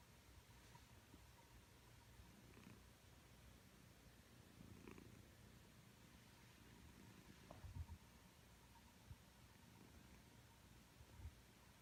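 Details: Sleeping domestic cat snoring, heard from close by: a soft, low, breathy rumble with faint breath bursts every two to three seconds, in a quiet indoor room.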